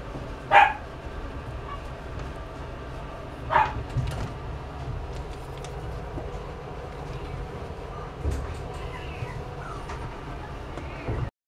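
A pug gives two short, sharp barks a few seconds apart over a low rumbling background.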